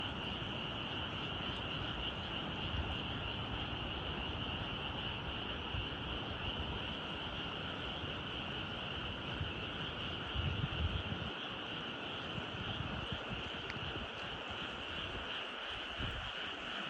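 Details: Frogs croaking at evening in rice fields among mountains at Nyuzen, Toyama, Japan: a dense, unbroken chorus of many overlapping rattling croaks, steady throughout, with faint low rumble in the background.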